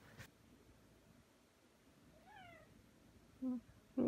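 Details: Pet cat Aki, indoors during a kneading session with its owner, lets out one thin, falling meow midway through, followed by a brief low human word and room noise.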